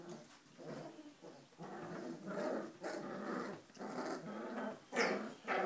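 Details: Play growls from four-week-old Giant Schnauzer puppies (H litter): rough, rumbling bursts repeated almost twice a second, with a brief higher yelp near the end.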